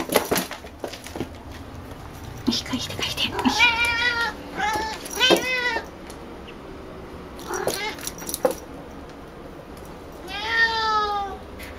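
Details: Picchi, a female cat, chatters eagerly at a ball made from her own brushed-out fur. A run of several quick, wavering meows is mixed with thumps and rustling. One last longer meow comes near the end.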